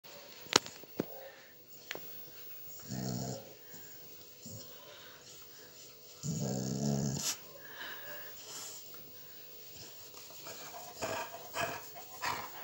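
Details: A rescued dog, born on the street, growls playfully while a man nibbles its ears. Two low rumbling growl bursts come near three and six-and-a-half seconds, with faint clicks and quiet handling noise between them.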